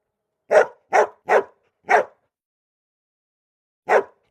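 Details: Young golden retriever puppies give short, sharp barks: four in quick succession, a two-second pause, then two more.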